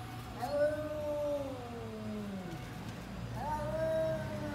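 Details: A cat giving two long drawn-out meows, each sliding slowly downward in pitch, with a person's voice faint in the background.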